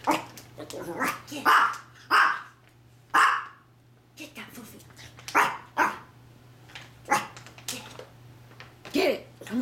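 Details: A female Maltese puppy playing with her treats before eating them gives short, high, yappy barks in quick bursts, spaced about a second apart, while a person talks and coaxes her throughout.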